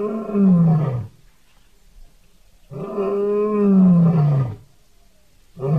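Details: Wild lion during an attack on other wild animals, giving deep, rough, drawn-out roaring growls that fall in pitch, each lasting one to two seconds, separated by short silent pauses.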